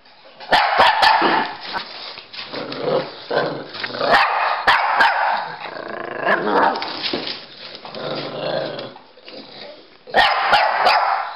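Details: Pekingese and Bulldog, Rocky and Bully, in a game of chase: rough, throaty play growls and snarls rolling on and off, with sharp yipping barks near the start and again near the end.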